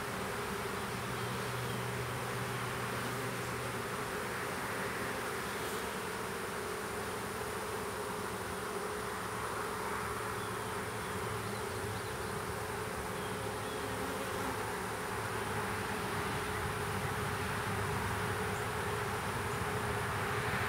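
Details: A small swarm of honey bees being hived in a privet hedge thicket in south Alabama on 12 April 2014 makes a thick, continuous buzzing that swells slightly, with an intermittent low hum.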